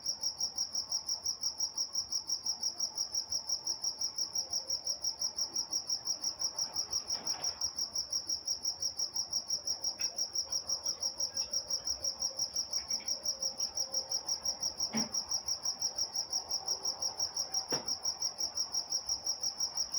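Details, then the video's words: Crickets at night in Walnut, California: a steady, high, pulsing chirp repeated about three times a second without pause, with a second fainter band above it and a few soft clicks underneath. "Night Time Crickets in Walnut, California"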